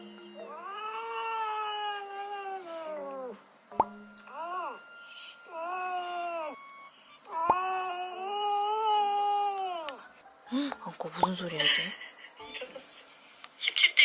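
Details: Domestic cat sleep-talking while asleep: a string of long, drawn-out, meow-like moans, each holding steady and then sagging at the end, with short breaks between them. The clip ends in scattered rustling and knocks.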